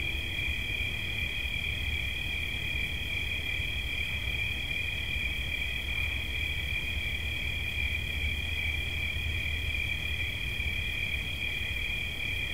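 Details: Continuous cricket trill, high and steady, its rapid pulses never pausing, with a constant deep background hum beneath, offered as a relaxing soundscape.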